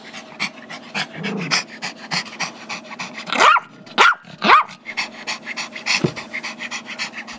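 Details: Gizmo, a five-year-old Chihuahua/Yorkie mix, barks while playing with a squeaky toy held by his younger brother Tigger, a two-year-old Yorkie, on Feb 10, 2011. Three sharp barks come about half a second apart amid steady panting and shuffling.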